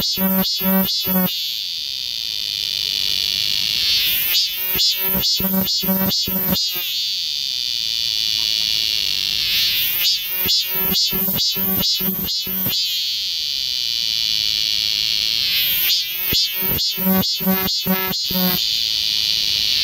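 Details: Cicadas singing in Galsan Park's forest, Yangcheon-gu, Seoul, in midsummer: bursts of rapid, harsh stuttering pulses come in groups every few seconds, separated by a steady high buzzing chorus.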